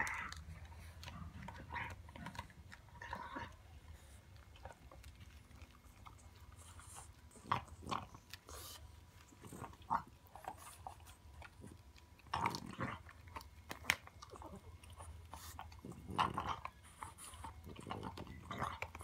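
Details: French Bulldog puppy eating a pig trotter treat indoors, with irregular bursts of biting and gnawing separated by quieter pauses, low background hum throughout.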